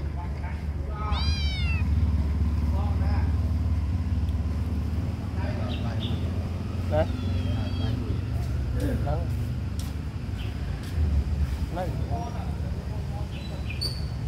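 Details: Hungry small kitten crying: a loud, high, arching meow early on, then several fainter, shorter mews spread through the rest, over a constant low rumble with some background voices.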